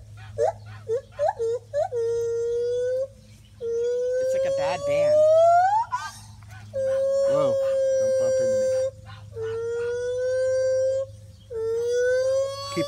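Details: Gibbons in the trees at Monkey Island Rescue give loud calls: short hoots, then long, clear, drawn-out tonal notes, one rising steeply upward.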